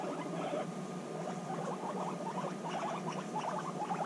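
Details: Guinea pigs back together after six months apart, bonding; quick clustered pulsing chatter with a few brief squeaky notes, over a steady hum.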